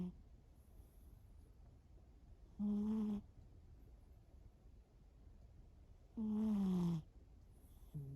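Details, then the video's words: A sleeping pet cat snores indoors: soft, low, droning snore breaths about every three and a half seconds, each lasting under a second, with quiet hiss between. "一緒に寝よう いびき5分間"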